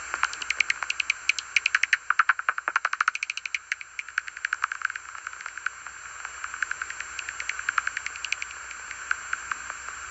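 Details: A bat's inaudible ultrasonic echolocation, converted to audible frequencies by an ELV FMD1 bat detector while one bat is in view: rapid dry clicks and pops in uneven bursts.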